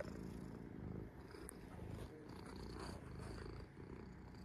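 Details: Resting domestic cat purring: a low, even rumble with a rhythmic throb that carries on without a break, swelling slightly with each breath, recorded indoors with a quiet background.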